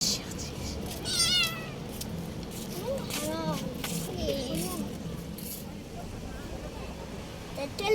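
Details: Street kittens in a park meowing: a high, thin meow sliding downward just after one second, then softer, wavering mews, with people talking throughout and a background hum.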